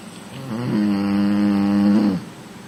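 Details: Female American Bully snoring while sleeping on the lounge: one long, steady, droning tone of about a second and a half, with a brief rise in pitch at its start and end, in a quiet indoor room.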